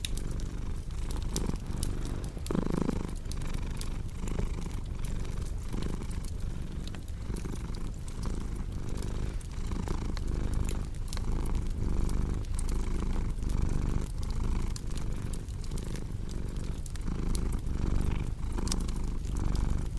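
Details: Long stretch of a cat's steady purring, a soft low drone pulsing with each inhale and exhale, set against a crackling fireplace's irregular pops.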